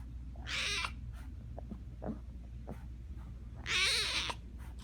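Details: Tiger cub calling: two wailing, harmonic cries, the first near the start and a longer, wavering one near the end, with a steady low hum and faint clicks between them.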